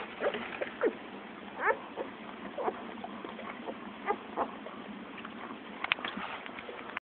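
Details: Newborn Shih Tzu puppies, one day old: a steady stream of short, high squeaky whimpers and chirps, several overlapping, repeated irregularly against a constant background hiss.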